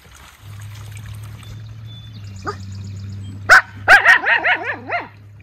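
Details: Young white Miniature Schnauzer brothers in Aroostook County, Maine, on a short break from sentry duty. A steady low hum runs throughout. A thin rising whine comes first, then two sharp barks and a quick run of wavering, whiny yelps.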